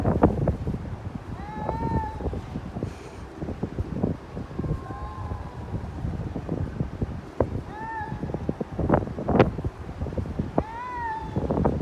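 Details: A cat making noises like a child: drawn-out, wavering tonal cries, some rising then falling, repeated about four times over twelve seconds, with heavy wind buffeting, low rumble and clicking sounds between them.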